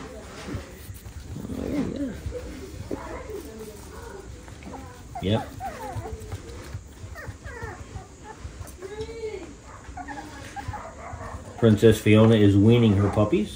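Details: Six-week-old West Highland White Terrier puppies from Princess Fiona's litter give scattered soft whimpers and short arching whines, some rising then falling, across several seconds, with rustling in the background and loud human speech breaking in near the end.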